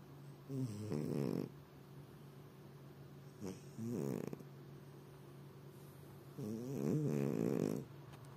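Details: Domestic cat snoring while lying indoors in the evening, legs spread: three rasping snore bursts, each about a second long, at roughly three-second intervals, with quiet gaps between.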